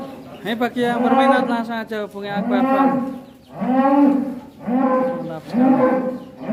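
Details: Massive cattle weighing more than a ton, on the move out of its pen: a run of loud deep moos in rich harmonic bands, each lasting about a second, with short pauses between.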